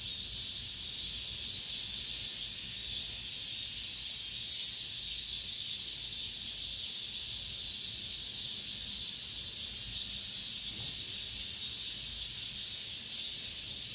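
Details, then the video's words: Cicadas singing in an apartment complex at the end of summer, the season's last chorus: a dense, steady high-pitched buzz of many insects, pulsing slightly throughout, with no other clear sounds. "올 여름 마지막 매미소리"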